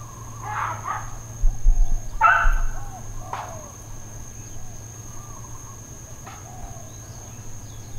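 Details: Dogs barking intermittently in Hawaiian Paradise Park, Hawaii, on September 2, 2024, uncontrolled neighbourhood barking; a few sharp barks in quick succession early on, then quieter, with a steady high whine and low hum in the background.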